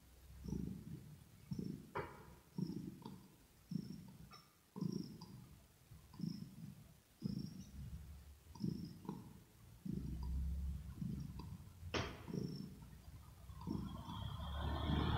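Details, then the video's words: Kitten purring in close ear-to-ear ASMR recording: low rumbling bursts rising and falling with each breath about once a second, faint clicks over the top, rustling and broader noise building near the end. "Asmr With Kitten Cat 😽 Ear To Ear Purring"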